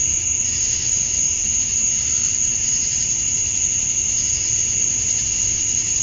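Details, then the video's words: At dusk on a summer night in Georgia, USA, male cicadas chirp to draw females: an even, shrill, sustained hum in two high bands, barely varying, over faint low-frequency background noise. "Cicadas at Dusk, Summer Night"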